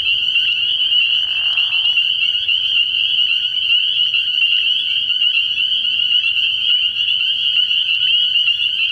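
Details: A nighttime frogpond chorus in early spring: massed spring peepers produce a constant high-pitched shrill of overlapping peeps, joined early on by a short, lower, breathy burst.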